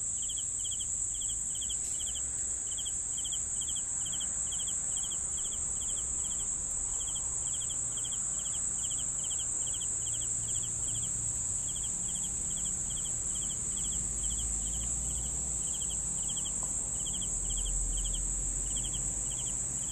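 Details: Crickets sounding for sleep: steady rhythmic chirps of a few rapid pulses each, about three or four per second, above a constant piercing high drone, with low rumbling noise underneath.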